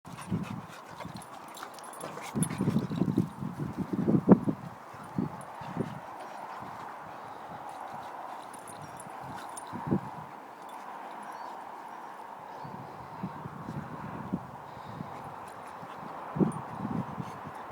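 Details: Two Boxer dogs, brother and sister, play-fighting, giving bursts of low rough growls and snorting huffs in clusters, then quieter stretches of shuffling before more growling near the end.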